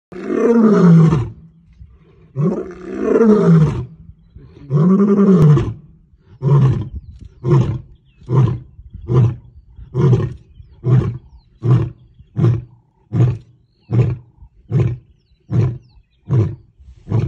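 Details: Male lion roaring in Africa next to a safari vehicle: three long deep moaning roars, then a run of shorter grunting calls spaced about every second, slowing as they fade.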